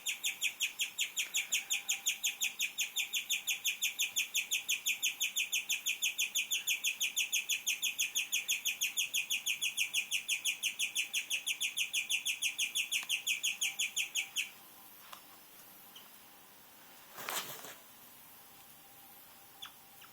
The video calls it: Strange noises from my guinea pig